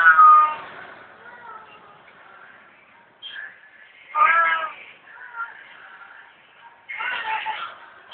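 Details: Hungry cat asking for food, giving a loud drawn-out harmonic meow, then shorter meows at about three and four seconds and a final wavering one near the end, with quiet pauses between.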